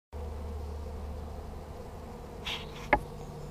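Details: A collected honey bee swarm in Hampshire on 21–22 May 2015, with bees fanning at the entrance of their new hive and flying in, makes a low, steady hum, broken by a couple of sharp knocks.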